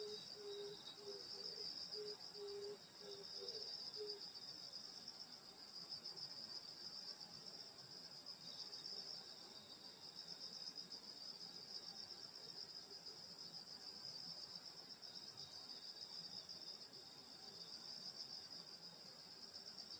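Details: Summer night countryside insect chorus near a grandmother's house: steady, high, ringing trills layered in two bands, with a short burst of low pulsed chirps near the start, then continuous droning.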